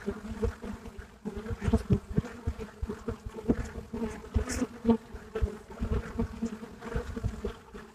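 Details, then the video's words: Many Buckfast bees at a hive entrance in Brittany, a continuous low droning hum with short swelling buzzes of bees flying near, sharp rustling clicks scattered throughout. "Abeilles buckfast à l'entrée de la ruche"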